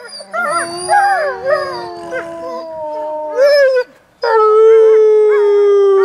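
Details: Wolves at Wolf Howl Animal Preserve howling while playing in snow; wavering, bending howls and quick yelping notes overlap, a short gap, then one clear steady howl slowly sliding downward.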